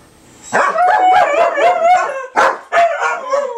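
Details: Dogs howl on the 4th of July, 2012, with a sustained wavering howl and several voices layered, then two sharp barks and a lower falling howl at the end.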